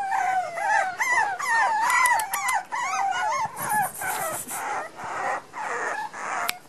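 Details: Young Miniature Pinscher puppies, aged one month and eleven days, Los Teques, Venezuela; continuous high, wavering whines and squeals rising and falling, several pups crying at once, later softer breathy whimpers.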